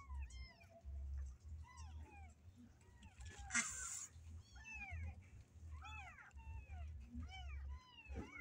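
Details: Small kittens confined in a cage mew repeatedly, short arched cries coming several per second from more than one kitten, with a burst of rustling scratch and a low background hum.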